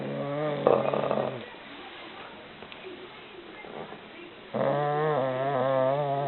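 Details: An English Bulldog, exhausted after a full stomach, snores in rough, droning breaths with a buzzy, wavering tone.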